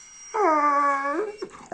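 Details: Labrador retriever indoors after waking up, howling because it is not being let outside into the cold: one steady, drawn-out tonal howl of almost a second, rising slightly at the end, with a woman speaking Bengali before and after.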